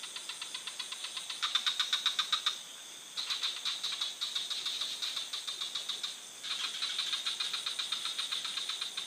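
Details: Frogs in a forest give long rattling trains of sharp, evenly spaced clicks, several seconds each with short silences between, over a steady shrill hum.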